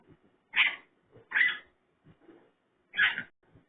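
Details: Raccoon giving pig-like vocalizations: three harsh, raspy squeals roughly a second apart, with soft low grunts and snuffles in between.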